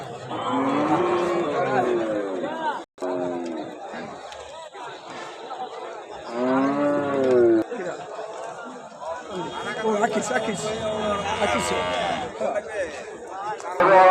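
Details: Cattle at the Mohila Road cattle market: drawn-out, wavering harmonic moos early on and again midway, among men bargaining loudly over prices, crowd chatter and bursts of music.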